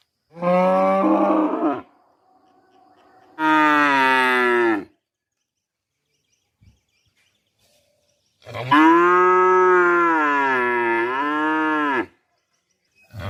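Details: Cow mooing in three long, loud, deep calls, the first two lasting about one and a half seconds each and the last stretching nearly four seconds with a slight wavering dip, separated by quiet pauses.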